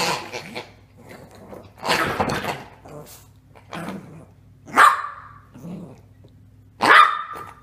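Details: Yorkshire Terrier barking and growling in short rough bursts, with several sharp, higher barks spaced a couple of seconds apart and low growly sounds between them, indoors with a faint steady hum.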